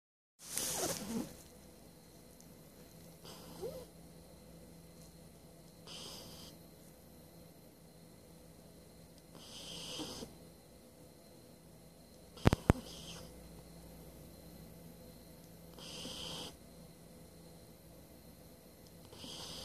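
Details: A sleeping 12-week-old Shiba Inu puppy snores softly and breathily, each snore rising and fading roughly every three seconds; a couple of sharp clicks break in near the middle.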